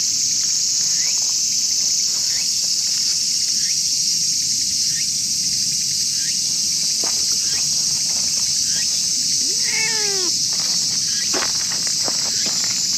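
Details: Jealous stray tortoiseshell cat in a park, angry while a tabby is being petted: one drawn-out, arching meow with rich harmonics near the end, a shorter cry after it, over a constant loud, high insect drone.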